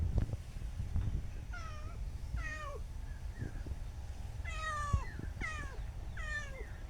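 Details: Newly adopted cat being tamed in a rural village setting, meowing after being fed and following for more food; five clear descending harmonic meows, the last three in quick succession, over low background rumble.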